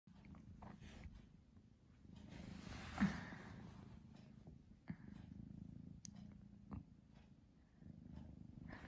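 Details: Pamuk, a pet cat drowsing between sleep and play, purrs steadily in a low rumbling drone, broken by a few soft clicks and small thumps indoors.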